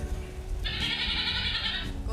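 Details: A pet goat kept by teenage housemates gives a single drawn-out, nasal bleat lasting just over a second, heard over steady low background rumble and noise.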